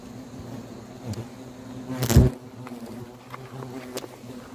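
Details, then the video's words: Hornets swarming in great numbers at a huge nest in a garden cherry tree at a country house in Korea, as the nest is being removed; steady low buzzing hum with a sudden loud thump midway. "전원주택 정원수 벚나무에 달린 말벌 퇴치"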